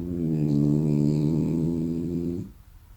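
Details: A sleeping French Bulldog gives a long, low, buzzy snore that drones steadily before cutting off.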